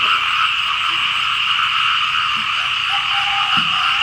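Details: Frogs calling together over rainy fields in Laos. A thick, continuous wall of trilled croaks in two layered bands; a few faint low knocks sound near the end.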